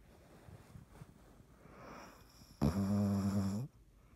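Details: Sleeping cat Dottie gives a long, harsh snore of about one second, a low droning rasp that follows soft, quiet breaths in a hushed indoor space.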